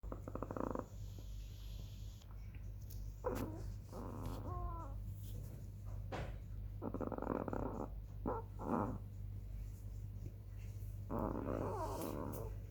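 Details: Black female chihuahua snoring while asleep on 18 July 2021 at 21:07: short raspy, nasal bursts, some with a squeaky whistling edge, recurring every one to three seconds over a steady low indoor hum.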